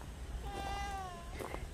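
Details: White cat Hayang, playing with the person who cares for it and seeming to follow what it is told, gives one clear meow. The tone holds level, then bends downward near the end, and a soft rustle follows.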